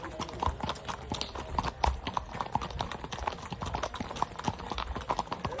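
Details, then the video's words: Clip-clop of a shod horse's hooves, rapid hard knocks continuing throughout with a few louder strikes, over a low rumble and faint talking. "Nal sesleri eşliğinde"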